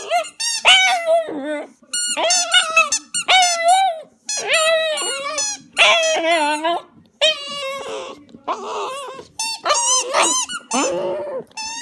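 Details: Border Terrier singing a tune of his own: a quick run of short yodelling howls and squeaky whines, rising and falling in pitch, with brief breaks between notes, about twenty phrases in twelve seconds.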